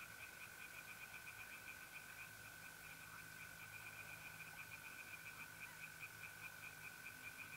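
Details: Pond-side tree frogs calling by night in April, north-east Italy: an even string of rapid pulsed notes repeated steadily throughout, set against the constant high buzz of trilling mole crickets.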